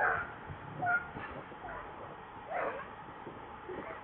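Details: Baby monkey named Leo crying and begging its mother for milk because it is hungry; short, high, thin whimpering cries near the start and around one second, then softer muffled whines over a low rumbling background.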